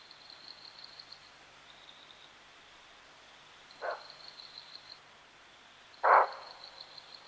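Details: A Common (Cape) Bushbuck (Tragelaphus sylvaticus) outside Lake Panic in Kruger National Park gives two hoarse, abrupt alarm barks a couple of seconds apart over steady insect buzzing.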